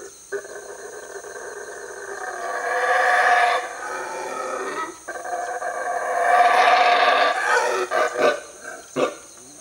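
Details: A Guatemalan black howler monkey (Alouatta pigra) roars in a Mexican jungle. Harsh, throaty, deafening howls build in two long surges of a few seconds each, then break into shorter grunting bursts. A steady high insect-like hiss runs behind.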